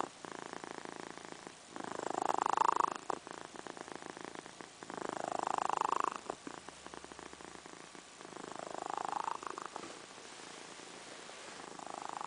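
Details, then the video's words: A sleeping female pet cat snoring indoors: slow, raspy breaths swelling and fading in long cycles, roughly one every three to four seconds, each a rough buzzy rush with a brief pause between. "Snoring cat"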